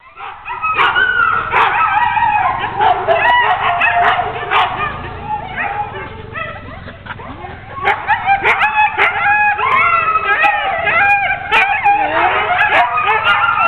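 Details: Ten sled dogs being hooked up for a training run in October 2010, a dense overlapping chorus of excited barks, yips and howling whines, with clanking sounds throughout.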